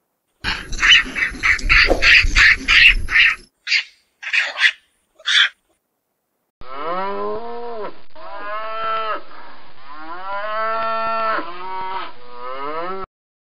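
A cow moos in a run of drawn-out, arching harmonic calls, following harsh chattering sounds from another animal.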